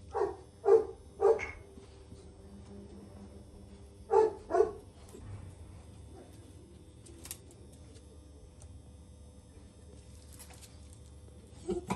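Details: Jack Russell Terrier barking in short bursts, three quick barks then two more after a pause, over a low steady background hum.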